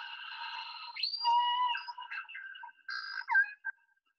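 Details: Resident killer whales of K-pod in the Salish Sea, British Columbia, give echolocation clicks and buzzes to find fish, plus squeaky, squawking calls with bright, rising and falling tones in short bursts.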